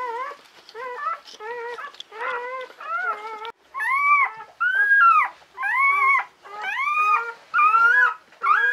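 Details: Czechoslovakian Wolfdog puppies, newborn females from Orizon and Rahan's five-puppy litter born 21 November 2020, lying with their mother Orizon. They give loud, rising then falling whines with rich overtones, about one a second, in a quiet room.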